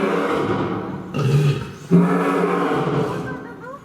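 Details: Two short, low, rumbling roars from Chachamaru, a male lion living at Fukuoka City Zoo in Japan, following closely one after the other amid steady chatter from onlookers.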